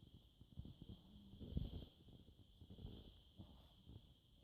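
A French Bulldog snores in low, rumbling breaths, with a steady high hum behind.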